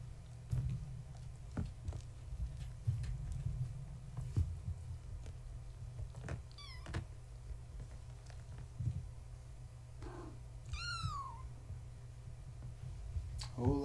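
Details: Indoor bedtime play with Gaia's young kittens, born March 14, 2017, to a tabby mother: a few thin, high kitten mews, one loud and clear with a bending pitch, scattered among clicks, knocks and a constant low hum.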